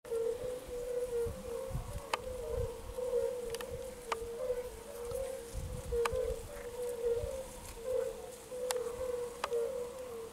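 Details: A chorus of lowland fire-bellied toads, heard in the background behind a water frog on 10 May 2022, gives soft, mellow, low hooting notes that overlap into a steady hum.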